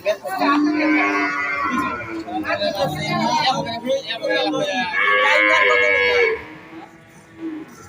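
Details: Bull cattle being bought at a market, giving long drawn moos with rich harmonics, two lasting over a second each, overlapping with men's voices haggling over the price.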